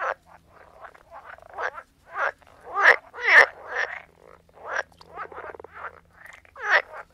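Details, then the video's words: Several frogs croaking together, a dense run of raspy, pulsed croaks following one another quickly, some rattling and stuttered, with louder calls standing out every second or so. "Sound of Frogs Croaking"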